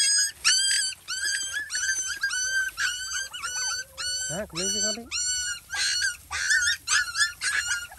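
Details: Hungry mother dog and her puppies in a village while being fed: high, whining yelps repeat rapidly in short bursts, with one deeper, drawn-out wavering whine midway and faint voices behind.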